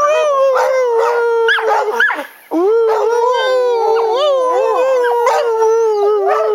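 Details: Jemma and Bubby, two house dogs, sing with their owner to "Crying Time"; sustained mournful howls with rising and falling bends, a short break midway, then the wailing chorus resumes.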